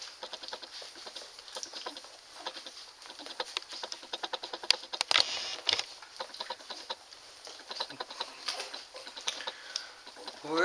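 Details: Nursing Standard Poodle puppies, June 5th, 2014, described as fat, happy babies: dense wet suckling clicks patter steadily for about ten seconds, growing louder and more irregular midway, inside a quiet small room.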